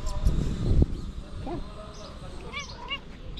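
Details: Cat asking for food, giving two short, arched, rising-then-falling meows close together near the end, after a person's voice at the start.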